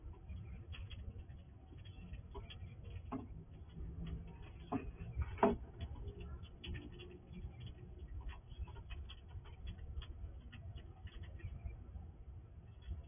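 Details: A wild squirrel visiting a house at night quickly eats food from a sliding drawer: soft, irregular crunching and ticking clicks over a low background hum.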